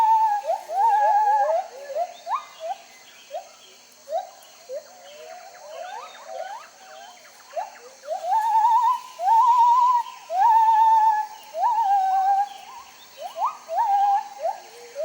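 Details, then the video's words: Jarunee the singing ape pours out loud, pure whistled phrases: rapid upward-swooping notes in bursts, then longer wavering held tones, building and pausing across the song with quiet gaps between loud outbursts. "Jarunee the Singing Ape"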